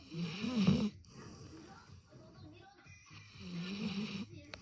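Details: Sleeping golden retriever snoring loudly: a rasping, rumbling snore at the start, quieter breathing for about two seconds, then a second long drawn-out snore near the end.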